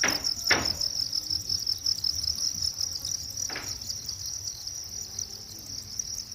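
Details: Natural-setting cricket keeping up a continuous piercing, high-pitched trill with fast pulses, interrupted only by two short knocks or taps, over faint low background hum.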